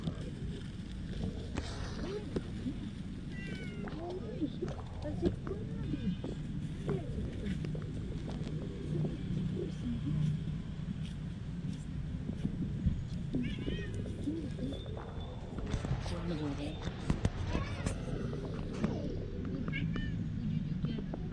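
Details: Male cat with a white tip on his tail, living in front of a shop, meowing loudly for affection and food; several drawn-out meows rise and fall among human voices and street noise.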